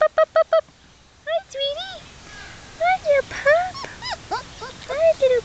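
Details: Black German Shepherd puppies, 3.5 weeks old, Czech import work lines, taken outside in New York to explore a new environment: four quick high yelps, then a string of arched, rising-and-falling whines in bursts, with a person cooing to them.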